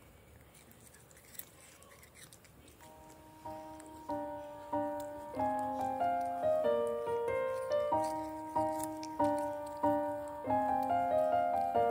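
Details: Quiet room sounds give way to a gentle melody of sustained, stepping notes repeated in a regular rhythm; no animal call stands out.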